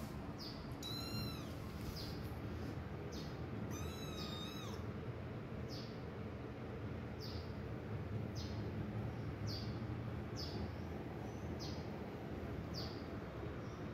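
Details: A protective mother cat leaving her hidden kittens; two brief, arched meows in the first few seconds, followed by a long stretch of steady low rumble with soft, regular ticking.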